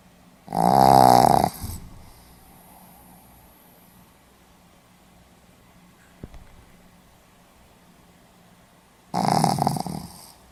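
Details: Snoring Pomeranian recorded 4 November 2015: two loud rasping snores about eight seconds apart, each a second long with a rattling buzz, separated by quiet breathing and a soft click in a still room.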